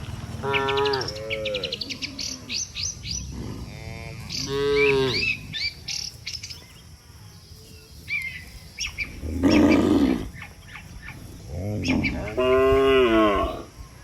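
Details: Dozens of tame cattle calmly walking home together to the barn after a day on the pasture, outdoors: several long, drawn-out moos with rich harmonics, some rising then falling, while small birds chirp throughout.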